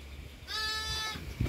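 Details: Newborn lamb, born at midnight, giving one steady, clear bleat of about seven tenths of a second with a rich, buzzy tone, after low rumbling background noise and ending in a soft thump.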